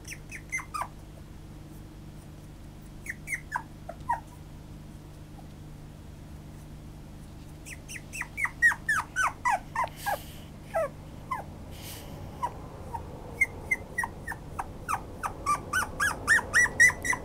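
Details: Toy poodle recorded on 5 July 2014 indoors, giving high, thin whimpers that slide downward, in short bursts early on, then a quick run of repeated yelps and squeals, rising near the end, over a low steady room hum.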